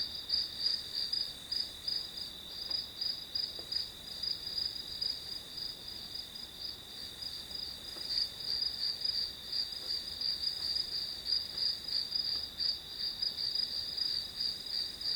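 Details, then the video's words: Grass insects as ambient sound for an hour of studying: continuous shrill high-pitched chirping in quick, slightly uneven pulses, roughly three per second, steady throughout. "풀벌레 소리"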